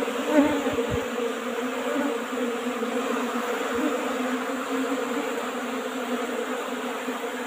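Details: Apis cerana colony in a traditional old-style box while its honey is harvested, humming in a dense, even drone with layered tones; a couple of brief thuds near the start, then unbroken buzzing.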